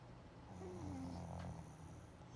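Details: Pug snoring while asleep during a daytime nap: a single low, rumbling drawn-out snore with a brief raised nasal whine in the middle, in a quiet indoor setting.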